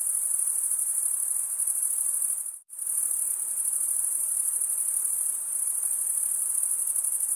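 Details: A high, ringing cricket stridulation chorus drops out abruptly for a split second near the middle, then resumes at full, steady intensity.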